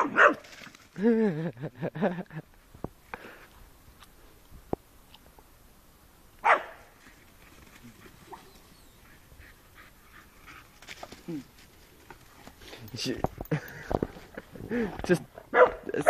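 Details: Doberman playing roughly with a white Staffordshire Bull Terrier, giving bursts of throaty play growls, whines and short barks in irregular clusters with quiet gaps, plus scuffling sounds.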